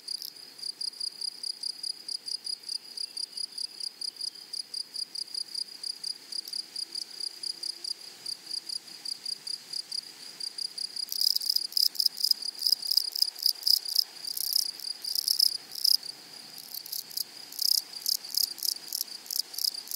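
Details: Prairie grasshoppers with a loud, high, buzzy rasp in short pulses, steady at first, then a second louder caller joins halfway with denser, harsher chirp bursts overlapping the first.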